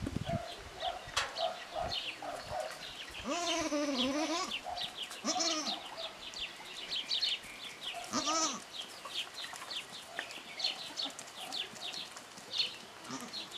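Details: Three-day-old goat kid at Parignargues, born with a malformation of the front legs and fitted with makeshift pipe-and-tape splints: a few wavering, nasal bleats, one drawn out near the start and shorter ones later, over steady chirping of birds.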